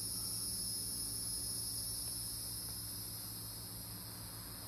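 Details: Several Hieroglyphic cicadas (Neocicada hieroglyphica) in Brendan T Byrne park, New Jersey, give an unbroken high-pitched drone that fades slightly toward the end over a faint low rumble.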